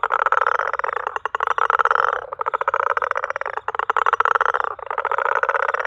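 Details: A small, greyish, smooth-skinned frog, possibly a juvenile bullfrog, calling in a South African garden: loud, dense, rattling trills in bursts of one to two seconds with brief gaps, steady and continuous throughout.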